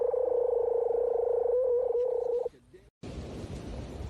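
A seal gives a long, steady, buzzing moan that holds one pitch before breaking off.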